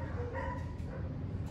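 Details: German Shepherd reunited with its owners, giving a short high whimpering whine with a slight rise and fall, over a steady low rumble.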